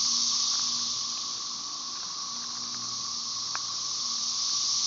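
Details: Periodical cicada chorus of Brood XIX Magicicada tredecassini, with M. tredecim in the background, recorded May 30, 2011 at Tyler Bend Park near Marshall, Arkansas; a continuous shrill, hissing wall of sound, nearly even in loudness, with a faint steady tone below.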